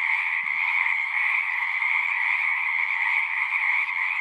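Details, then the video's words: Frogs singing at a pond in a horse pasture, a thick steady chorus of high trilling calls without gaps, a couple of faint low clicks in the background. "Frogs singing"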